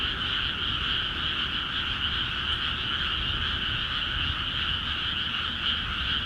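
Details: In flooded Akiha Ward rice paddies, frogs call vigorously: a thick, steady mass of quick, throbbing croaks forming two layered bands, never pausing, over a quiet low-pitched hum.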